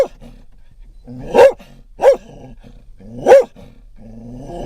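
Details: Scottish Terrier in a moving van barking at dogs and cats outside: three sharp, punchy barks spaced about a second apart over steady vehicle hum.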